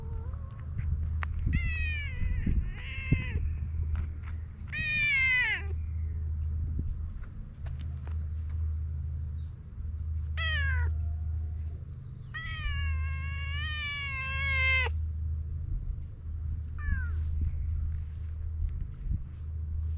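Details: Evening gathering of stray cats: several loud, strongly harmonic meows and whining calls, some short and bending downward, one long wavering cry near the end, over a constant low rumble of traffic or machinery.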